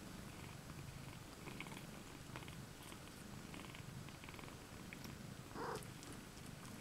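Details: Two cat mothers, IO-KHÔ and LOLLYPOP, share a basket with their seven kittens on 20 May 2015; continuous low, rough purring, with one short mid-pitched squeak near the end.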